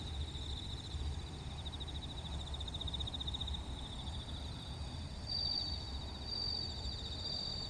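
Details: Bell crickets at a Wakayama roadside service area, Kinokawa, in Japan, produce a continuous pulsing high-pitched trill, joined near the end by clear bell-like ringing notes, while low road noise hums steadily underneath.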